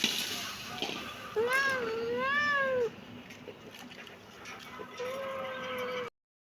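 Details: Kitten meowing: two drawn-out, arched meows in quick succession, rising then falling in pitch with rich harmonics, followed after a pause by a softer, flatter meow; steady background hiss throughout.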